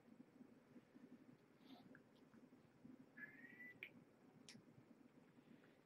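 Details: Kitten from the litter of Marge, a rescued stray mother who gave birth to five kittens at Purrfect Pals on November 22nd, 2014, indoors at evening dinnertime; one soft, faint mew rising over half a second, amid light clicks and quiet room noise.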